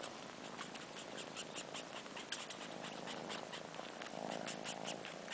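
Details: Four-month-old kittens missing their mother, fluffy long-haired Sheba sucking on his own fur like a nipple, soft low purring under a steady run of wet, slurpy sucking clicks, quiet indoor recording.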